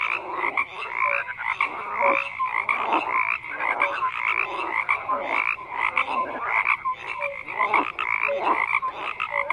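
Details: Dense chorus of croaking frogs, rapid pulsed rasps and scattered short piping notes, continuous and loud with rhythmic surges about every second.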